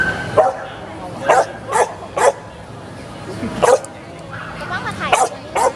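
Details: Samoyed at a Giant Dog show event at Central Plaza, Chiang Rai, Thailand, 22 June 2018, giving sharp single barks repeated roughly every half second to one second in short runs over a background of crowd chatter.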